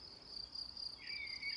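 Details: Cicadas give a steady, high-pitched, unbroken buzzing drone on Šmarna gora, a hill a few kilometres from Ljubljana, Slovenia, with a brief whistled blackbird note near the end.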